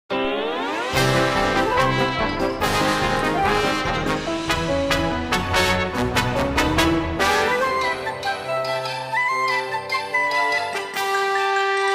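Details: Loud brass band music with trombones and trumpets playing throughout, with no animal sound.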